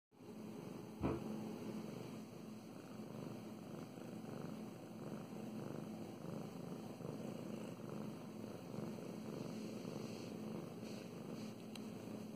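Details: Domestic cat named Mow Mows purring while being petted indoors; a steady low rumbling purr runs throughout with rhythmic pulsing, a brief thump near the first second and faint rustling of hands on fur.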